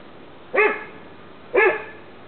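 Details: Dogs in the sun in 2009: Rook, an 11-year-old American Bulldog, Olive, a Staffordshire bull terrier, and Kordell, a French Bulldog. Two short, sharp barks about one second apart, over a quiet background hiss.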